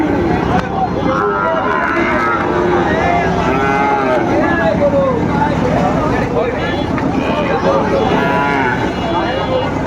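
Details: Sahiwal bull calves for sale at a crowded Kurigram livestock market on 7 April 2025. Several wavering, tonal moos recur across the clip, partly buried under constant human chatter and a background engine hum.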